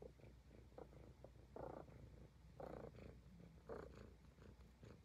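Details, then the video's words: Purring Highland Lynx cat during grooming: steady low rumble broken into gentle breathy surges roughly every second, some pulses stronger and fuller than others, quiet close-up recording. "Cute Cat Purring and Grooming l ASMR l Highland Lynx Cat"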